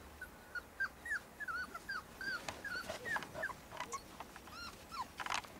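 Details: Several puppies at play in snow let out quick, squeaky yips and whines, each a brief bent note, following one another almost continuously, with scuffing and crunchy snow noises underneath.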